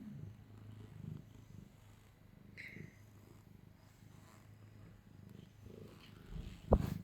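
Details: Jimmy, a gentle, good-tempered pet cat held in someone's arms, purrs steadily and low, a soft continuous rumble pulsing with its breaths, broken by a brief higher tone and a sharp handling knock near the end.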